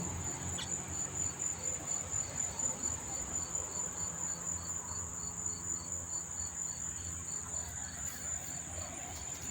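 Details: Crickets chirping at close range near a racetrack in Monmouth Park, New Jersey, on a September evening: a steady high continuous trill with regular pulsed chirps repeating about 83 times a minute, many insects together, low rumble beneath.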